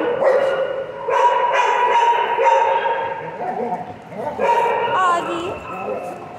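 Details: Pet dog talking at length: drawn-out, harmonic, whine-like vocal tones held for a second or more, several rising and falling phrases with short breaks, fairly steady pitch and a few brief higher yips.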